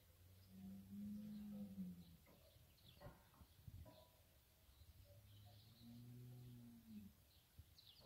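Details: Berrenda en Colorado cattle, cows with their breeding bull, lowing in two long, deep, droning moos with a small swell in the middle, separated by thumps, while small birds twitter high in the background.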